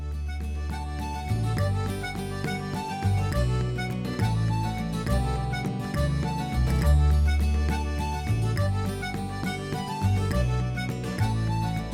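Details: Lively instrumental music with plucked, harpsichord-like notes over a steady bass plays without pause, and no animal is heard.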